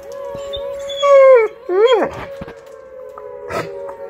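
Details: Blue Bay Shepherd Kurgan and Lycan Shepherd Ulu howl in response to a monthly tornado siren test; rising and falling harmonic howls swell around the one- and two-second marks over a steady siren tone.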